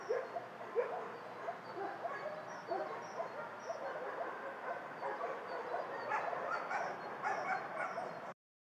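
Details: Many dogs in a dog shelter bark in a dense, overlapping chorus that grows busier and louder toward the end, the barks blurred by distance, then stop abruptly.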